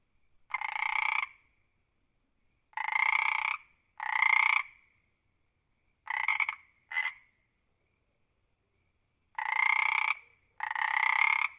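A frog calls with buzzy, nasal croaks lasting about half a second to a second. They come in irregular bursts, often paired, separated by silent pauses of a second or more.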